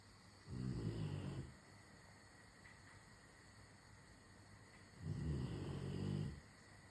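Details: Rottweiler snoring as it waits for its dinner to be prepared: two deep, raspy snores about four seconds apart, each roughly a second long and low-pitched, with a faint hum in between.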